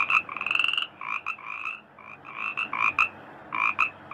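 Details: Frogs in a paddy field give a quick run of ringing croaks, one long rising note early on, then choppy repeated bursts with brief pauses.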